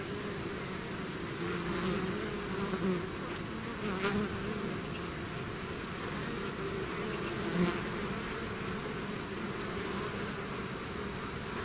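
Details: Bee swarm pouring out of its hive, a dense continuous buzz of many insects with a steady low drone and wavering hum bands, a few brief sharper buzzes of single bees passing close.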